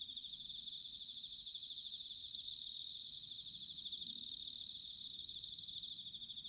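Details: Bell cricket singing in autumn at Sanuki, Chiba, Japan: three loud, clear tinkling trills of fast pulses swell out of a constant high-pitched cricket chorus, spaced roughly one and a half seconds apart.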